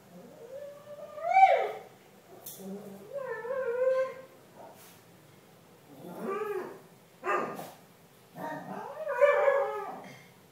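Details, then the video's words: A comfort retriever sings at random in long, wavering howls that slide up and down, broken by short yips and whines. "Singing dog"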